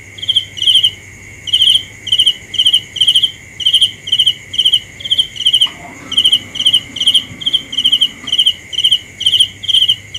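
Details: Shrill cricket chirps at night, short trilled pulses repeated about twice a second without pause, while a faint sliding tone passes in the background partway through.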